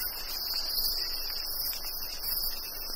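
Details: Rainforest: a dense, unbroken chorus of crickets trilling and buzzing with cicadas mixed in, distant hornbill calls, and a soft hiss of light rain and dripping beneath.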